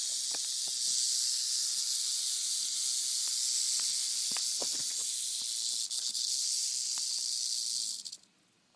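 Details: Timber rattlesnake on a road, warning after a car nearly ran over it: a continuous dry, high-pitched buzzing rattle runs steadily for about eight seconds before cutting out, with faint outdoor background.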